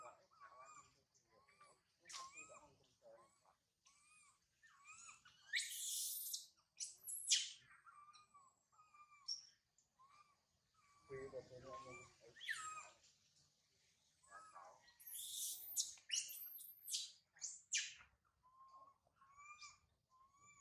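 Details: Young monkey Sario, left high in a tree after her mother Sarah went away, crying loudly: short arched whistled wails near the same pitch alternate with harsh, shrill screeching bursts, repeated irregularly with brief silences between.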